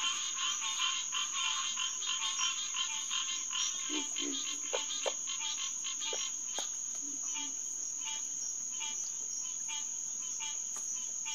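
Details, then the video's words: :Green tree frogs (Hyla cinerea) in chorus at Headquarters Pond, SMNWR, around 9:10 pm on June 2, 2021. Many nasal, harmonic honks overlap quickly. A few low grunts come through near the middle, over a steady high insect drone. "Green Tree Frog Chorus"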